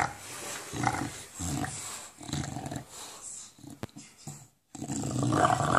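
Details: Low, throaty growls from an English Bulldog, described as a "monster sound," come in rough, broken bursts while it plays with a tennis ball indoors. A person's voice talks over parts of the rumbling.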